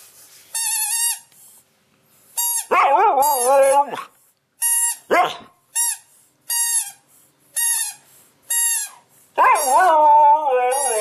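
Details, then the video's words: Young pet Siberian Husky making funny talkative sounds: a run of short, high, whistle-like tonal yelps alternating with longer wavering howl-like whines that bend up and down, about eight bursts with brief pauses between. "Funny behavior Husky From voice tweet"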